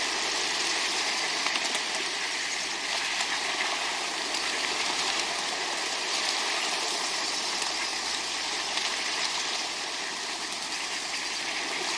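A steady broadband hiss like rushing water or engine noise fills the recording, with no animal calls standing out.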